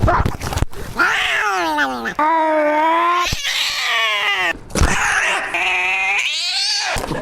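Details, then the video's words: Domestic cat screaming: long, loud, wavering howls rich in stacked harmonics, rising and falling in pitch, several drawn-out cries in a row with brief gaps between them. "Cat Screaming"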